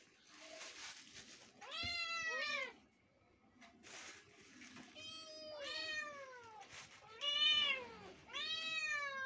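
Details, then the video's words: Two kittens calling over each other: rising-then-falling meows, several doubled or overlapping, repeated every couple of seconds, with brief bursts of rustling noise between calls. "two kittens is mixing their voices meow meow"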